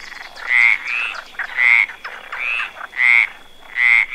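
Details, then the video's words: Close, loud croaking from a frog sitting on a branch: about six raspy, ringing bursts in four seconds, each swelling then cutting off, separated by quieter rattling pulses. "Frog sound sitting on a branch"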